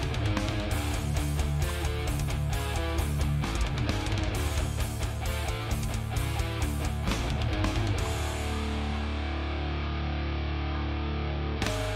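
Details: Loud, distorted electric guitar music plays throughout with heavy strumming and driving bass, and no animal sound is heard.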